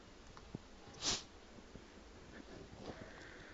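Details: Domestic cat sneezing indoors: one short, sharp, hissing burst of breathy noise near the one-second mark, then quiet room tone with faint rustles and small clicks.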